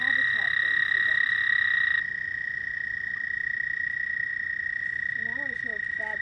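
Frogs croak in short, throaty bursts beneath a steady high whine at night.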